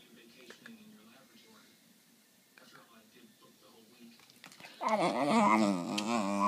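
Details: West Highland White Terrier 'talking' indoors while asking for a treat: after quiet speech and small noises, a loud, sustained wavering whine-howl with rising and falling pitch begins midway and continues to the end.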